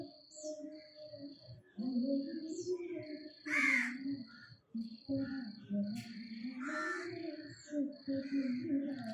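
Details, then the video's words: A nine-month-old pet puppy named Chikku cries at being left behind. His long, wavering whines rise and fall in a moaning pattern, broken by short pauses. Two harsh crow caws cut in, and a steady high tone runs underneath. "അച്ഛൻ എന്നെ കൂട്ടാതെ പോയീ ..Crying in different ways"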